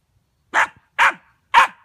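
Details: Hazel, a dog, barking at a dustpan: three short, sharp barks about half a second apart, loud and clean with nothing else heard.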